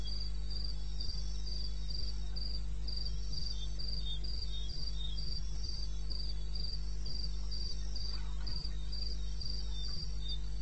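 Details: Crickets calling in the wilderness of eastern Botswana at 02:30 AM on 21 May 2016: short high chirps repeated steadily, about two to three per second, with a second, lower caller alternating beneath, over a constant low hum.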